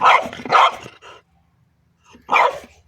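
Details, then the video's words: French Bulldog barking at a pipe while playing: two loud, rough barks back to back with a shorter trailing yelp, a second of near silence, then a final bark. "Buldog francuski Bodzio zabawy szczekanie do rury"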